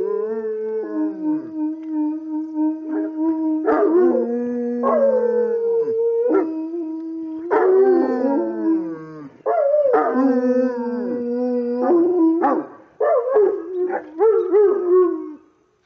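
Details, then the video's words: Saint Bernards singing as a group: overlapping, wavering howls that slide up and down, with sharp rising yelps cutting in. Each voice starts again every few seconds in a continuous chorus. "Singing Saint Bernards"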